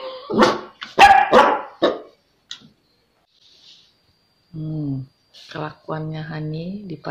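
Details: Honey, a Pomeranian puppy in a pet sitter's care, gives a quick run of sharp, high yappy barks in the first two seconds. After a pause, a human voice talks with sustained tones, and there is some clapping and music in the background.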